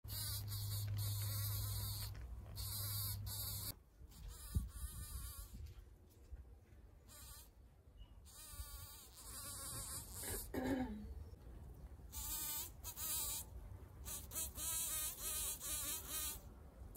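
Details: Bees among anemones, a wavering droning buzz with rising and falling pitch as insects fly close and away, broken by bursts of broad hissing noise and a low steady hum early on.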